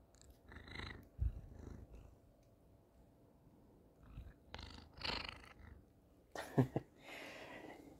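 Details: House cat wanting affection, purring against a phone while head-bumping it. Soft low purring comes in short, uneven bursts separated by quiet gaps, with a few sharp knocks and rubbing sounds from contact with the phone.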